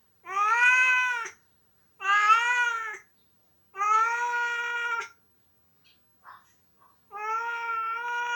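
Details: A pet male cat cries indoors while his owner is away on vacation. He gives four long, clear, harmonic meows, each about a second long, spaced roughly two seconds apart, with quiet gaps between them.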